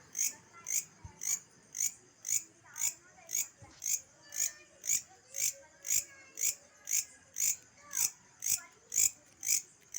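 An insect gives high, shrill pulsed chirps, about two each second, in a steady rhythm.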